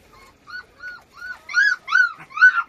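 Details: Dapple puppy giving high, thin whines that grow louder and more strained, six or seven drawn-out cries in under three seconds, in otherwise quiet surroundings.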